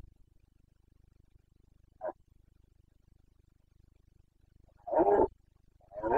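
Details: Red deer stag of the Carpathians in Bucovina, Romania, calling in the breeding season on 29 September 2022. A brief sharp grunt, then after a quiet stretch two deep, rough roaring bellows near the end.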